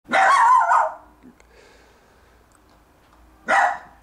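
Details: Younger Jack Russell Terrier in a garden barking while trying to get a bone from his older brother; one long, harsh bark near the start, then quiet, then a second sharp bark at the end.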